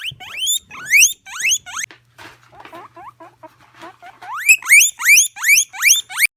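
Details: A female guinea pig gives loud, shrill rising wheeks in quick bursts, with softer chirps and squeaks between.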